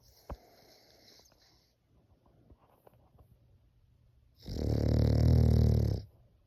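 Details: French Bulldog snoring indoors, likened to a human snore: quiet low breathing and faint snuffles, then one long loud rumbling snore lasting about a second and a half.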